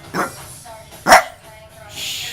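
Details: A 14-year-old female Boston Terrier "talks" in two short, rising, yowly bursts while a person coaxes her on.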